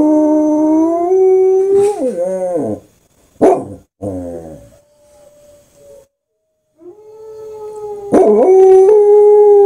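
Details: Corgi named Nuutti howling after listening to German Shepherd howls: long sustained tonal howls with rich harmonics, breaking and wavering around two seconds, short sharp yips near three and a half seconds, a fading tone, then a strong steady howl resuming near the end.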